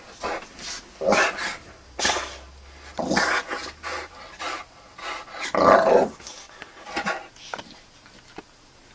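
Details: Boxer named Magnus going crazy on beds and sofas, giving short throaty growls and rough grumbles in scattered bursts, the loudest near the middle, with scuffling and breathy noises between them.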